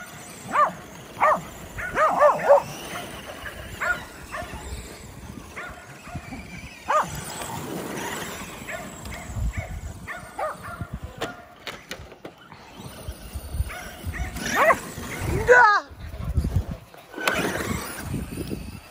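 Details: Kerry Blue Terriers playing with a Traxxas E-Revo RC car give sharp barks in quick bursts, with yips and rising whimpering whines later. Sharp clicking noises come through between the calls.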